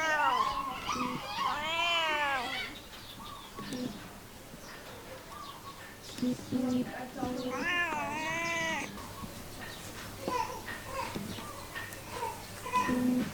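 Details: Cat meows, two arching harmonic calls several seconds apart, among quieter short chirping sounds and low background noise.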